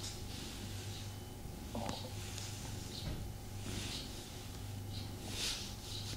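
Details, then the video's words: Purring from the pet cat Tommy during a snuggle: a continuous deep hum with gentle rhythmic breaths roughly every second, and a small snort or rustle near two seconds. "ASMR Cat Snuggle Kuddle | Purring"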